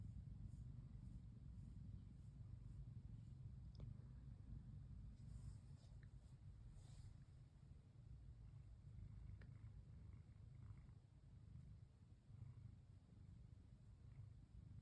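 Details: Stroked and relaxed, Pon, a female brown tabby cat lying curled up, keeps up a soft, unbroken low purr. Faint light taps and small clicks are scattered over the rumble.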